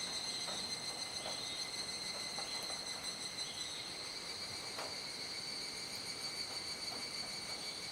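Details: Dusk cicada chorus in Kuji, Iwate, Japan, mid-July 2017 at about seven in the evening, still in the rainy season: a continuous high, ringing buzz holding level throughout, with faint scattered clicks underneath.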